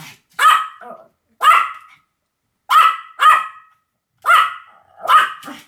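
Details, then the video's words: Pomeranian yapping six times, each high bark sometimes trailing into a short whiny tail, with pauses of about a second between them. "犬の鳴き声 ポメラニアン 1000回吠え Dog sound effect"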